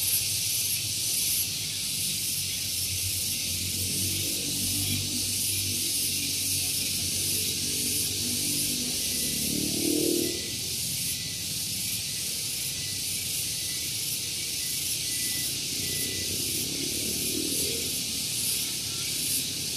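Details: Very loud cicadas at Gunung Geulis, Bogor, West Java, Indonesia, on a morning beside a parking area: a continuous high shrill drone with regular pulsing, while lower rumbling sounds swell around the middle and near the end.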